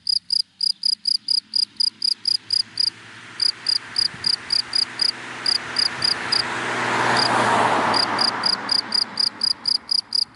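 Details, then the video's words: Daytime cricket in dry grass giving rapid, regular high chirps, briefly pausing as a passing car swells into a broad whoosh in the middle, then resuming its steady pulsing. "Sound of Cricket in Dry Grass in the Daytime"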